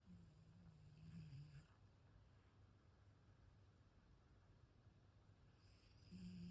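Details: Ragdoll cat snoring indoors, compared to an old man's snore: a soft, low rumbling breath that is strongest at the start and again near the end, with a quiet lull between.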